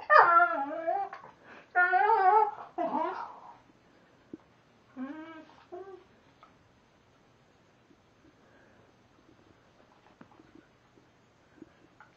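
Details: Gussy, a pet Vizsla, whines as he chews his nails indoors; loud wavering harmonic whines and a sliding yelp early on, one shorter whine after a pause, then near silence with faint clicks of chewing.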